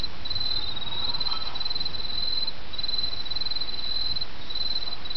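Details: Autumn insect chorus above the murmur of a small stream, with high, shrill trills running in long stretches and separated by short gaps, all over a steady wash of flowing water.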